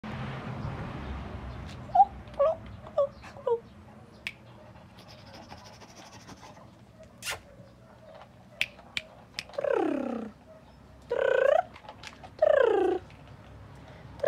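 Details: Mike Tyson, a blue Chow Chow puppy from an Italian kennel, gives three drawn-out, falling whines near the end, after a run of short soft squeaks and scattered clicks and taps indoors.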